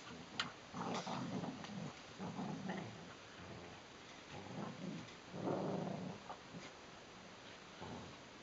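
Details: Two adult Border Collies, Neo and Joy, play tug-of-war indoors, giving low rumbling growls in short bursts of a second or so, rising and falling with the pulling, with brief gaps of quiet between them.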